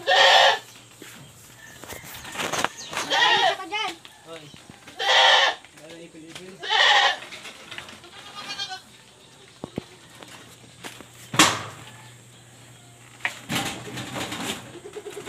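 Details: Several pregnant goats on a backyard farm bleat for food on a very hot day, as ipil-ipil leaves are given. There are repeated short, shaky bleats in bursts, a man talking, and clattering noises.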